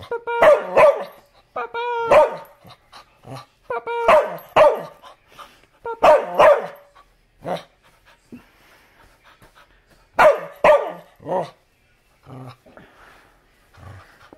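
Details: Bumba the dog barking in short, sharp bursts of two or three barks, separated by pauses, while a human voice repeatedly calls out the dog's name between the barks.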